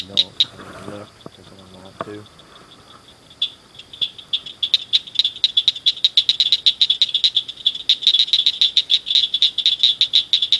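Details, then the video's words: Several frogs chirping at night in a culvert beside a ditch: loud, high, clicking chirps repeated rapidly and building into a dense chorus, after a few spoken words at the start. "Tunnel Frogs"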